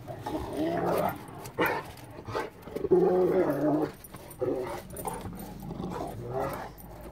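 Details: A Rottweiler playing in snow gives low, gruff barks and growly huffs in short irregular bursts.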